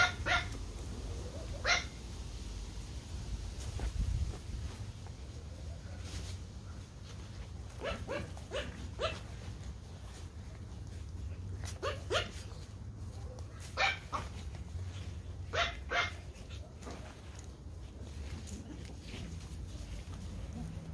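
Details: Pomeranian Toy Pom puppies playing in a garden, giving scattered sharp, high yips and short barks at irregular intervals over a low steady background rumble.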